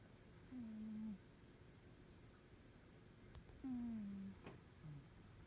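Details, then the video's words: Norwegian Forest Cat sound asleep and snoring; two drawn-out, low whistling breaths roughly three seconds apart, each sliding gently downward, with a faint click and quiet indoor background hum. "イビキをかいて気持ち良く眠る猫 ノルウェージャンフォレストキャットcat sleeping snoring.Norwegian Forest Cat."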